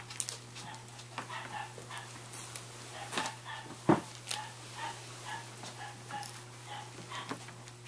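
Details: Several Scottish Terrier puppies from Central Pennsylvania, raised for sale, let out a run of brief, thin yelps about twice a second, with one sharp knock midway and a constant low hum beneath.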